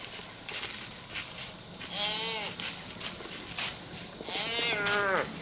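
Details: Doe in heat walking beneath a tree, calling nonstop: two loud, wavering, nasal bleats about two and a half seconds apart, each bending up then down, with leaf rustling and crunching footsteps around them.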